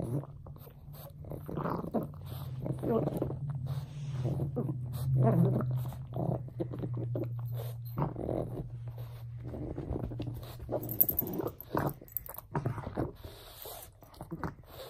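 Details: Frank the pug plays with a bone, making a long, low, steady grumbling growl broken by snorts and huffs, with music playing in the background.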